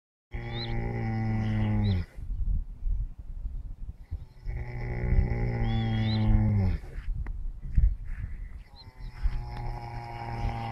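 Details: Four horses napping on a sunny early morning, snoring in their sleep: low droning voiced groans of about one and a half seconds, separated by quiet breaths, with faint high chirping notes above.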